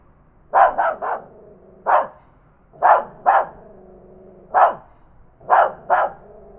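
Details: Loud barking from a tiny dog, recorded with a Zoom H5 handheld recorder: nine sharp, punchy barks, opening with a rapid triple, then single and paired barks spaced roughly a second apart; a faint droning hum lingers between them.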